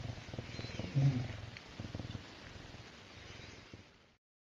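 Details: Serval purring contentedly: a low pulsing rumble with one louder throaty note early on, then the purr softens and fades to silence before the end.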